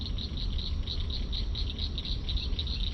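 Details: Frogs giving mating calls at a city drainage creek: a high, rapid chorus of pulsed chirps in quick bursts, over heavy low rumbling background noise.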